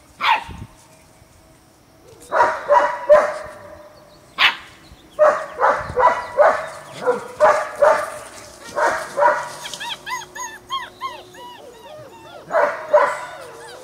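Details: German Shepherd puppies at the Tiltonhaus kennel in Washington state socializing with an older puppy: bursts of sharp, high yapping barks in quick runs, then a string of rising-and-falling whines and squeals, followed by more barking.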